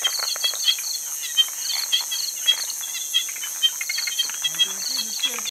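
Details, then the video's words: On Hainan Island, China, Martens's puddle frogs produce a busy chorus of brief clicking chirps in rapid series, with other frogs mixed in. A continuous high insect buzz persists, and a faint low wavering sound appears near the end. "audio of Occidozyga martensii"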